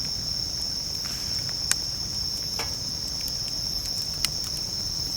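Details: High, even trilling of bell crickets at a campsite, heard over a crackling campfire that gives two louder sharp pops and a few softer snaps.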